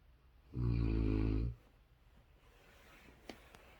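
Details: A big Rottweiler puppy, asleep, gives one deep, rumbling snore lasting about a second.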